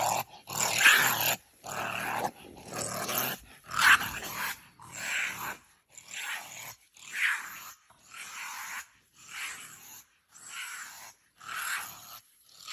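A honey badger gives a run of harsh, rasping growls, each burst about a second long.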